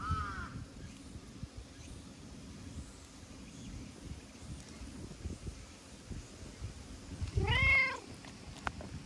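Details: Talkative brown tabby-and-white stray cat rubbing and licking in return for petting; one short meow at the start and one clear rising-falling meow near the end over steady low background rumble.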